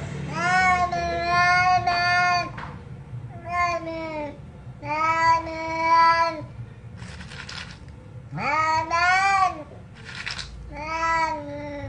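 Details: Cat meowing in a compilation: a series of long, drawn-out, tonal meows, some rising then falling, separated by short pauses, with about six distinct calls and faint background hum.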